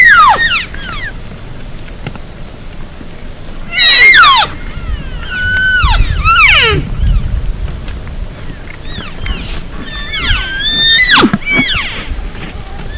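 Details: Wild elk cows give drawn-out, descending nasal lost-cow and assembly mews, calling for a response, with calves heard farther off.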